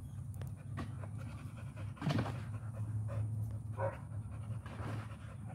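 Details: Panting from an American Pit Bull Terrier, low and rapid breathing with a brief louder burst midway and scattered soft clicks and rustles around it.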